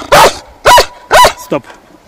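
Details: German Shepherd on a folding-kayak fishing trip at Al. Stamboliyski reservoir, giving three loud, deep, rough barks about half a second apart, then a shorter fourth bark, with quiet gaps between.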